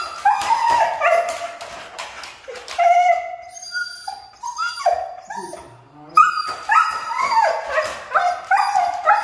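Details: Siberian Husky. A Siberian Husky vocalizes in a long series of whining, yodel-like calls, each sliding up and down in pitch. Short yips and whimpers break up the drawn-out, talkative phrases.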